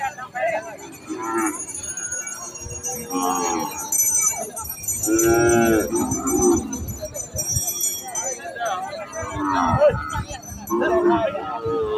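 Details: Holstein Friesian heifers on a farm mooing: several overlapping drawn-out lowing calls, some rising then falling, with a steady high electronic whine and background chatter.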